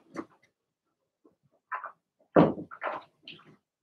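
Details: Cavalier King Charles Spaniel puppies from a Blenheim litter in an indoor puppy pen give short scattered yips, then a loud cluster of rough high barks and squeaky whines near the end.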